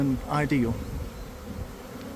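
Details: Swarming honey bees in a garden, recorded from inside the developing swarm in early afternoon. Loud whining fly-bys with bending pitch in the first second, then a softer, even hum of the mass of bees.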